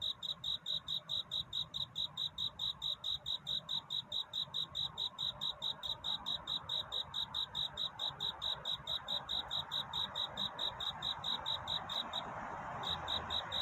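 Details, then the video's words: A cricket sings its nighttime love song: evenly spaced shrill chirps, about two each second, briefly dropping out near the end before resuming, over quiet ambient hiss. "귀뚜라미 울음소리. 슬퍼 말아요 우는 것이 아니라 사랑을 찾는 노래랍니다"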